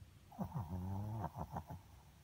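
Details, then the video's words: Sleeping Pomeranian named Miku snoring: a few short, rough, sniffling breaths, then one longer, low, buzzing drone, followed by more quick, choppy snorts. "Dog Snoring While Sleeping"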